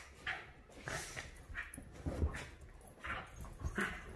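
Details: Clam and Bella, a Havanese and a Maltese, tussling over the couch while playing. Short low growls and yips come in quick separate bursts, with little background noise.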